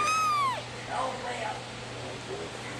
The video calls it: Cute baby kitten meowing